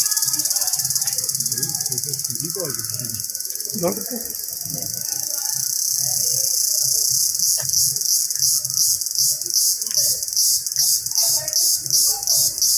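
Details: Indian cicada in a jungle, a loud, continuous high-pitched buzz that turns into rapid rhythmic pulsing in the second half, with faint voices and other low sounds underneath.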